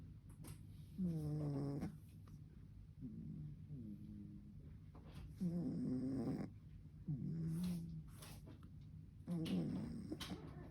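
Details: A 3.5-month-old pug puppy snoring for the first time at its new home: nasal, whiny snores with a wavering tone, each lasting about a second and repeating every two to three seconds.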